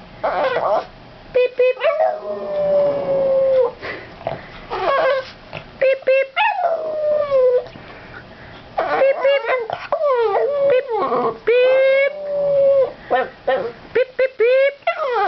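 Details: Abby, a three-year-old Boston terrier, sings indoors: long sustained howls held steady then sliding down, broken by short yips and whimpers, with a person's voice cutting in between phrases.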